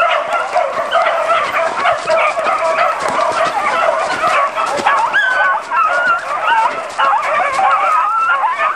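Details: A beagle pack on the hunt keeps up steady, overlapping baying. In the second half, several long, quavering howls bend up and down over the chorus of yelps.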